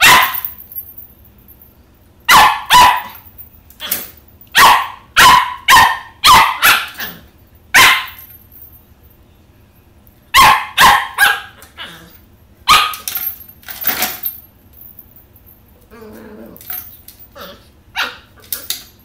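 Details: An 11-week-old Pembroke Welsh Corgi puppy playing with a cat toy and a little red ball barks in bursts of sharp, irregular yaps, two to four at a time, with rattling and scuffling between them.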